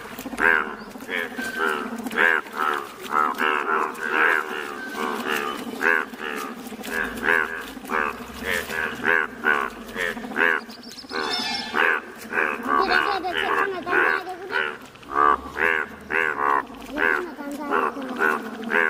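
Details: Dense calling of yellow Indian bullfrogs in Malkangiri district, Odisha: rapid, overlapping bleating croaks from many frogs, rich in harmonics and uneven in rhythm, running without pause throughout.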